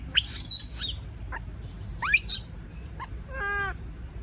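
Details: A frightened baby monkey, scared to be alone, gives harsh high shrieks, a few quick upward-swept squeaks, then a steady wavering harmonic wail near the end.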